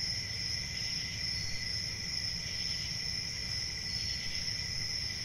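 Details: Crickets chirping in a constant high, even trill with a quieter lower band and gentle low rumble throughout.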